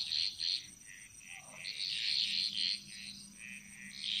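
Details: Bali jungle frog chorus with quick, bright pulsed notes tumbling rapidly one after another, overlapping voices and a faint low hum, plus a persistent high-pitched insect tone.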